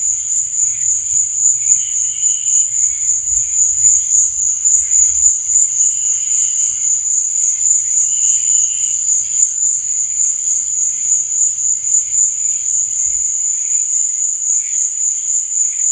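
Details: Night chorus of crickets, one continuous shrill high trill that never breaks, overlaid by occasional softer, lower chirping bursts; a faint low rumble fades out near the end.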